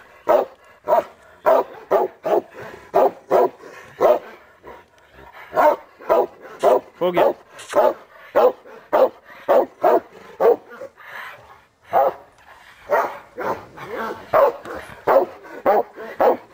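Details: Cane Corso named Taco during bite training, seeing and gripping a bite sleeve for the first time; rapid, fairly irregular series of loud, deep barks, close to two per second, with short pauses between bursts.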